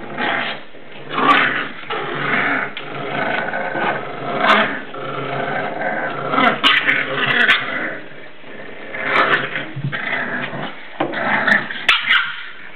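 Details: Indoor play among English Bulldog pups aged seven weeks: throaty growls, snarls and occasional yips come in uneven bursts throughout, with a few sharp clicks and knocks from the scuffle.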